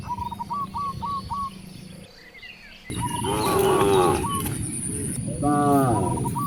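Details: In a village beside vast rice fields, hungry cows are heard: a short series of hooked chirps, a brief quiet spell, then a loud, wavering moo and a second shorter one near the end.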